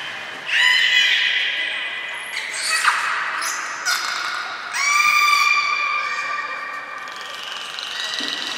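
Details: Belugas Mirai and Niko at Port of Nagoya Public Aquarium, training on 20 February 2021: bright harmonic whistles and squawky squeals, a rising sweep near three seconds, then a long level whistle that slowly fades in a reverberant hall.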